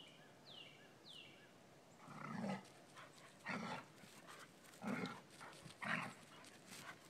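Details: Dobermann puppy annoying the adult Elke while she lies in the sun. Two falling bird chirps open the recording, then four gruff, throaty growl-barks come roughly one second apart.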